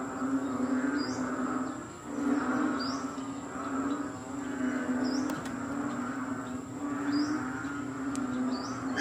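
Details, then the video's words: Dense frog chorus in Kadaruhan at 6 am on May 22, 2022, during rainy wet weather: overlapping pulsing croaks form a steady droning din, with a few short chirps from another animal standing out above. "The Loudest Frogs Sound ever"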